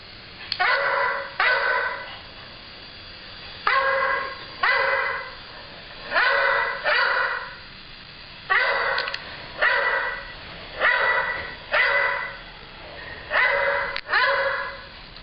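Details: Pet dog barking at nothing, steady pattern of paired sharp harmonic barks, about twenty-six a minute, each pair separated by a second or two of quiet.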